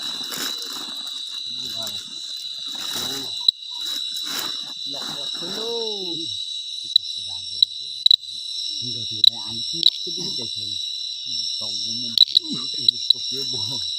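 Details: An unidentified insect in the jungle at night, met on a night hike, hides in a hole when approached; it makes a piercing, continuous buzz of two high, even tones beneath intermittent human talk and a few sharp clicks.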